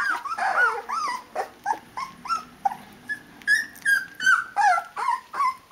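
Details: Rhodesian Ridgeback puppies of the D-Litter, 16 days old with eyes all open, calling their mother to feed them: overlapping high whimpers and squeaks, rising then falling, repeated about every half second indoors.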